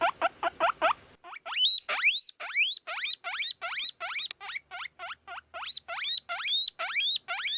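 A guinea pig squeals in quick succession, each squeak a sharp upward-sweeping whistle. The opening notes are shorter chirps, then longer rising squeaks repeat more than twice a second.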